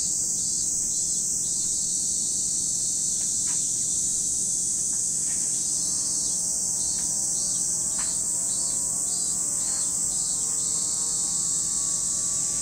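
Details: Cicadas at Lake Kamo, Sado City, Niigata Prefecture, Japan: an unbroken, very high, hissing buzz holds steady throughout, with faint short clicks above it and a soft, low, rising tonal hum drifting in partway through.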